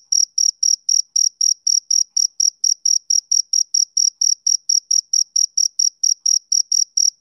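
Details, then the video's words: Rhythmic chirps of a male cricket on a summer evening, bright and high-pitched, spaced a little unevenly at close to three pulses a second, with a faint overtone above. No background noise. "Cricket Chirping Sound Effect"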